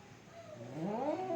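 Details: Fighting cats: after a quiet start, a short howl swells and climbs in pitch. It becomes a loud, quavering wail in the final half second.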